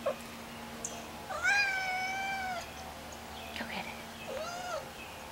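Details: Young male kitten under a year old, indoors, playing with a worm and very vocal: one long drawn, level meow with bright overtones, a short chirp, then a brief rising-falling meow, while a person urges it to get the worm and laughs.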